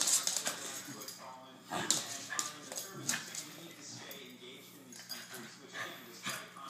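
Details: Two pet dogs, Phyllis and Kasper, play fighting indoors: rough, breathy growls and short gruff barks come in irregular bursts, loudest at the start and near two seconds, with scuffling noise between them.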